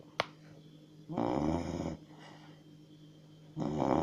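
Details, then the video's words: Chow Chow dog snoring: two harsh, rattling snore bursts just under a second long, about two and a half seconds apart, preceded by a sharp click, over a constant low electrical hum. "Chrapiacy Snoring Chow Chow"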